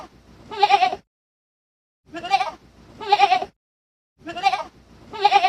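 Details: Kid, a baby goat, bleating: wavering, nasal, harmonic bleats in short groups with silent gaps, about three bursts of calling over five seconds, no other sounds.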